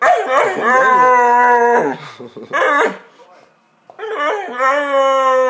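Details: Magyar vizsla (Hungarian Vizsla) pet dog vocalising as if trying to talk with its owner: long, drawn-out howling moans with wavering pitch, a brief break, then another sustained rising-and-falling howl.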